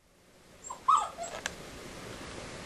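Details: Bernese Mountain Dog named Max, six years old, forlorn while his female owner is out, sitting by the window watching for her car: a short high-pitched whimpering whine that rises and falls, followed by faint rustles in a quiet room.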